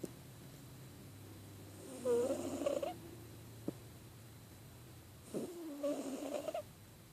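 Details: Pet cat with a cold snoring while asleep: two slow, rasping breaths about three seconds apart, each a noisy rush carrying a thin wheezy whistle that wavers upward, with near silence between them.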